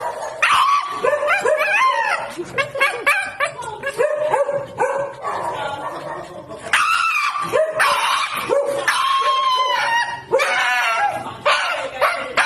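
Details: A dog screaming while getting a vaccine: loud, wavering, human-like wails in repeated bursts, rising and falling in pitch, with short yelps between them.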